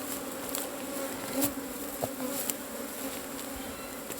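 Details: Steady hum of many Asian honey bees as their hollow nest is harvested, an unbroken buzzy drone with a few brief clicks and taps over it.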